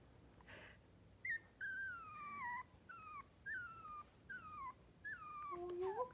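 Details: Three-week-old miniature schnauzer puppies near Radisson, Saskatchewan, whimpering in a string of about seven high, thin whines, each sliding downward and spaced roughly half a second apart, closing on a lower, rising whine, with a soft hiss behind.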